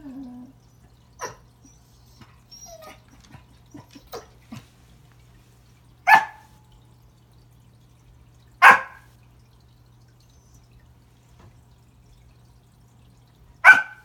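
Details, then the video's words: Pembroke Welsh Corgi named Remington barking at a new toy under the Christmas tree, trying to say hello; short sharp barks spaced a few seconds apart, preceded by faint whimpers and small scuffling sounds. "Corgi Christmas"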